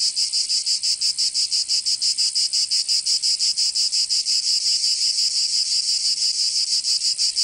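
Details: Summer cicada chorus from Provence in the south of France, a shrill continuous rasping buzz beating in fast regular pulses, about three per second, with no other sounds.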